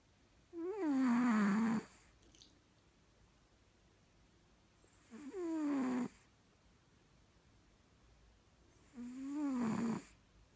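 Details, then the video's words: Sleeping cat Boabie gives three snores about four seconds apart. Each is a short breathy drone that rises in pitch and then sags downward, and the room is otherwise quiet. "Boabie Snoring"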